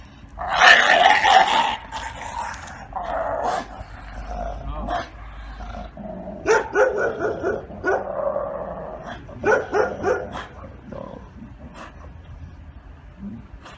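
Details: Giotto, a Bull Terrier in training after past aggression toward another dog, gives a dense, harsh burst of rapid barks at the start, then rough, growly barks in clusters that fade toward the end.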